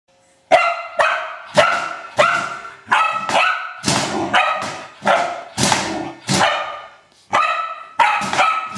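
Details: Old English Sheepdog having fun playing with a trash can, giving a steady run of loud, resonant barks about every half second to second, each bark ringing with a tonal, echoing quality.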